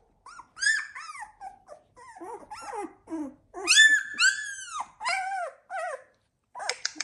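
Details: Litter of 16-day-old Labrador Retriever puppies, the Z2 litter, indoors: high arched whines and squeaky yelps from several pups, rising then falling, in short bursts with brief pauses between.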